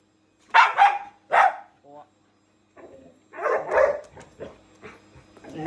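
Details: Shiba Inu and Labrador at home fighting a vacuum cleaner: two or three quick harsh barks, then after a pause a rougher burst of barking and grumbling mixed with household noise.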